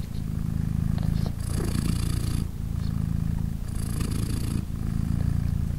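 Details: Mother British Shorthair named Polina, with three newborn kittens three days old nursing beside her, gives a deep steady purr that pulses between quieter low rumbling and louder breathy rasps about every two and a half seconds.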